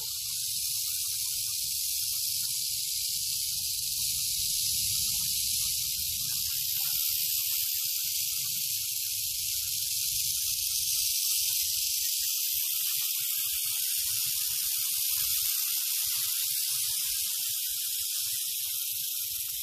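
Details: Continuous high, dry buzzing rattle of a western diamondback rattlesnake, held steadily for nearly twenty seconds without a break, with faint low rumbling underneath in the first half.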